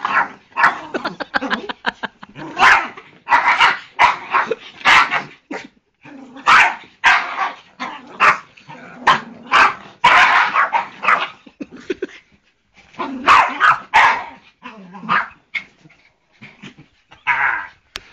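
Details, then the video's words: Poodle barking while attacking a man: rapid, nearly continuous volleys of loud, harsh barks and short yips, broken by brief pauses, over roughly eighteen seconds. "Dad gets attacked by poodle!"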